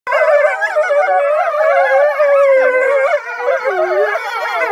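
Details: Several gray wolves in an enclosure at Polar Park, Norway, howl around a lodge on waking hours, their drawn-out, mournful notes sliding and wavering around one another and blending into a continuous chorus that rises and dips without a break.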